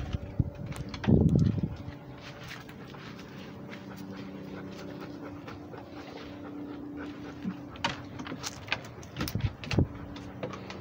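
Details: Rhodesian Ridgeback dog walking and breathing, rapid rhythmic panting over a steady low droning hum, with a loud rough burst of sound early on and scattered clicks and soft knocks later.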